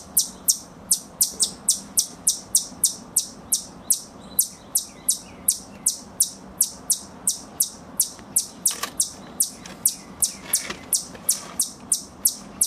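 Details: Squirrel calling with a steady series of short, piercing, high-pitched chips repeated roughly every half second, with a quiet rumbling background underneath.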